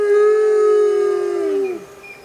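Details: Arctic wolf from a pack of six howling together; a single steady howl held level then sliding downward and fading after under two seconds.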